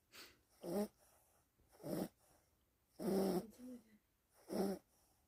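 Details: Puppy snoring softly while asleep: rhythmic, raspy snores, each a short rough breath, coming about every one to one and a half seconds, with quiet pauses in between.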